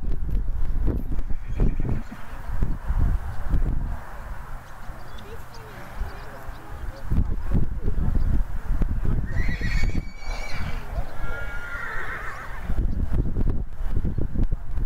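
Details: A two-year-old cremello Welsh Cob section D stallion gives a harsh, quavering whinny in two bursts midway. Heavy speech, hoof clip-clop and handling noise run throughout.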